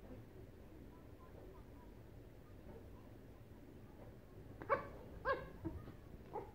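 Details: Small Yorkshire Terrier at play with a rubber pig toy: quiet background for several seconds, then three or four quick yips and barks near the end in a short burst.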